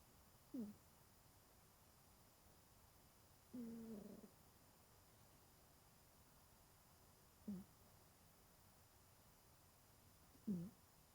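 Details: Genki, a 20-year-old domestic cat, sleeps soundly curled up in cool weather, giving short low nasal snoring tones, four brief breaths spaced about three seconds apart over a quiet room background.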